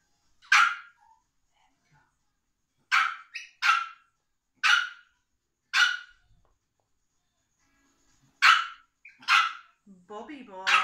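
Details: Indoor session with a Biewer Terrier puppy being brushed and microchipped: a run of about eight sharp, loud barks spaced irregularly over eleven seconds, a woman's voice cutting in at the close.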